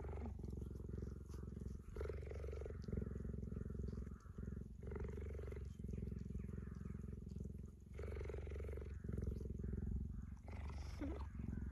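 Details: Affectionate tame cheetah cuddling a person outdoors in sunny weather and licking their hands. Deep, unbroken rhythmic purr fills the recording, with faint soft human speech and a brief high chirp toward the end.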